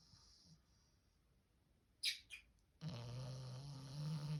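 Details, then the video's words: Sleeping French Bulldog puppy, four months old, snoring. Two short squeaky sounds come first, then one sustained snore of nearly two seconds, a throaty low drone with a steady airy rasp swelling toward the end. "puppy snoring loud!!!"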